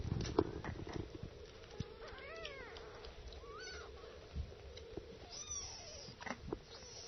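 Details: Nursing kittens giving short rising-then-falling mews, a few overlapping in the middle, amid scattered clicking suckling noises and a constant background hum.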